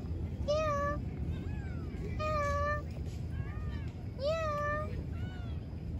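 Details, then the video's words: Wild cat brothers meowing: three clear, drawn-out mews, each about half a second, roughly two seconds apart, followed by a softer fourth, over a low rumbling background with some voices. "Lovely Wild Cat Brothers ! Meow Meow"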